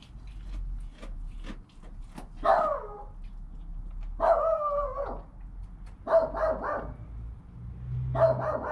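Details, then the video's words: Newborn goat kid named Joel, recorded on a GoPro within an hour of his birth beside his calm mother Penny: four loud, wavering bleats, the later ones broken into quick stuttering pulses, with faint clicks and tapping in between. "Baby Goat - One Hour Sound and Video"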